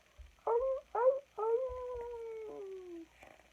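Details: A wolf howls in a recording played as a listening quiz. Two short, rising yelps are followed by a drawn-out tonal howl that slowly falls in pitch for about one and a half seconds. The sound is quiet.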